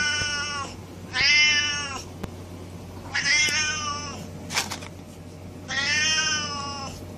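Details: Cats meowing without pause: four high, strained meows about a second long each, coming roughly every one and a half seconds, over a constant low background hum.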